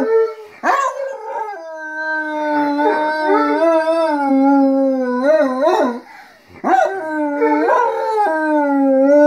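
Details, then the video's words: Dogs and their owners howling together, a yelping onset followed by long steady howls and a higher voice sliding above, a short dip near six seconds, then the chorus resumes with sustained overlapping notes. "Howling dogs- wir heulen mit unseren Kumpels"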